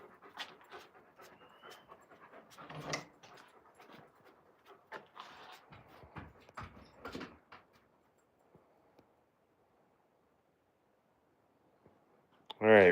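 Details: Raven, an Alaskan Malamute, outdoors with her long tongue hanging out: rhythmic, breathy panting bursts for about eight seconds, then a quiet stretch, ending in a sudden loud thump as Raven knocks for dinner.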